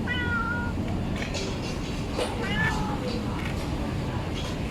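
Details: Hungry stray cat being fed in a village in Bangkok, Thailand, giving a clear drawn-out meow followed by several shorter wavering meows, against constant low rumbling background noise.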